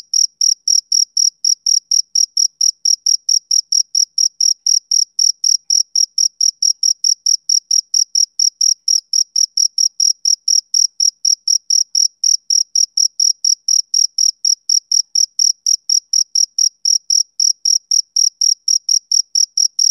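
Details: Continuous chirping from a male cricket, an iconic summer-evening sound: a long unbroken train of short piercing high pulses, fast and even, with nothing else audible in the background.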